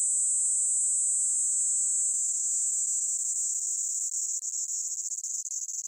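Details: Platypleura kaempferi cicada, shifting-pitch song: one continuous high, dense buzz that holds steady, then slowly drops slightly in pitch and begins to flutter and break in its closing seconds.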